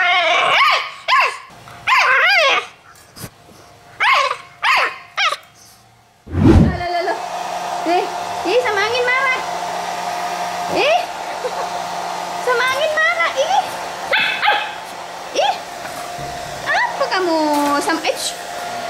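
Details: Playing Pit Bull puppies yip in a quick series of arched, squeaky barks for six seconds, then a steady blower-like roar takes over while scattered whimpers and yelps continue above it.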